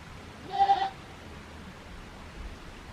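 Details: Young goat kid named Daizu at Yoshigake goat farm, a handmade farm in Japan, lounging lazily in spring warmth in March 2021; a single short nasal bleat with stacked harmonics about half a second long, then quiet farmyard background.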